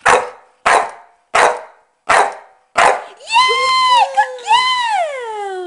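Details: Staffordshire Bull Terrier female counting to five in barks on command: five short, harsh barks in a steady row about 0.7 seconds apart, followed by a woman's voice saying good girl.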